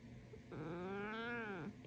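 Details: Domestic black cat, a male, chatting back to his owner with a sassy mrrr: one drawn-out, rich, slightly rising then falling trill-like murmur lasting about a second, quiet room.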